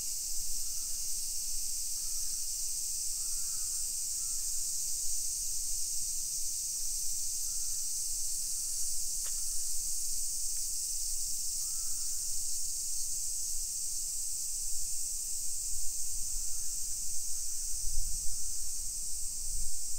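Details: Summer cicadas in a hillside residential neighborhood of Nisshin city, suburban Nagoya, Aichi Prefecture, Japan, at 1 PM on 28 July 2021, during a walk. Steady, high, hissing drone without a break, with brief chirps from small birds and low footstep rumble.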